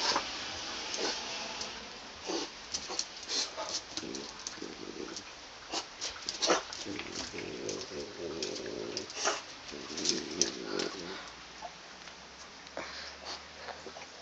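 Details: A French bulldog fighting a caterpillar gives short, rough barks mixed with snorts and low growls.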